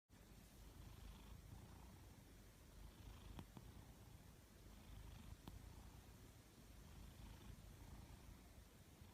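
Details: A sleeping Maine Coon cat (Felis catus) snores with a soft, low rumble that swells and fades with each breath.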